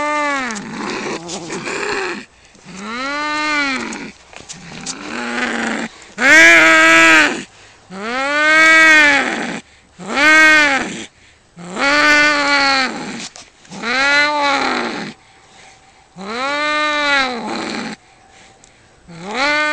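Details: Cats fighting, trading long rising-and-falling yowls about every two seconds, each wail roughly a second long and rich in harmonics, with short silences between them.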